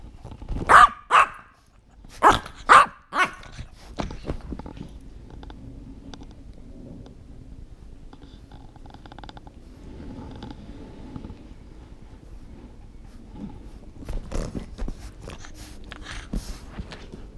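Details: An English Bulldog playing with a Yorkie gives a quick cluster of sharp, loud barks, then quieter scattered yaps after a pause.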